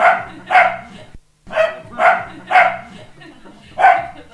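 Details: Dog barking, short rough woofs in quick pairs with a brief pause between groups, set against a faint low background murmur.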